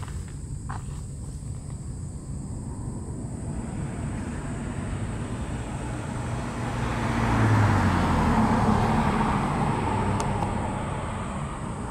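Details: Steady low traffic rumble on a warm evening, swelling as a vehicle passes around the middle, with a faint high hum and no animal voice.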